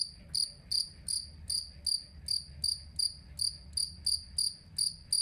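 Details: Jangkrik kalung cricket chirping, kept as a model for teaching cage birds to sing; evenly spaced, pulsed high chirps about every third of a second, bright tone with a fainter overtone above.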